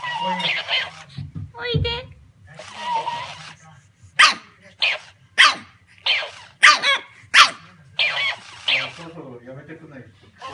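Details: Pug barking in open hostility at a copycat mimicking it, perhaps out of fear: sharp, bright barks come in quick succession in the middle, after earlier drawn-out voiced yelps and noisy bursts, over a steady low hum.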